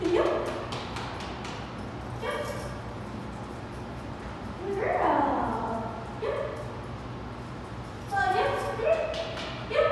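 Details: An 8-month-old female Treeing Walker Coonhound in a two-week board-and-train program in Virginia: a few short barks and yelps at intervals, a longer drawn-out bay near five seconds, with a man speaking in between.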